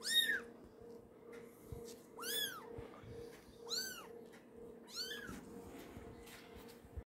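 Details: Young kitten, about a month old, repeating thin arched mews roughly once a second at first then slowing, each cry short and high, with a faint steady hum behind.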